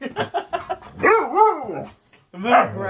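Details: Siberian Husky Cub on a typical morning at home, protesting while being grabbed by the butt and moved; a few short clipped sounds lead into a drawn-out, arching, wavering yowl, then a brief rising cry, with a person's voice nearby indoors.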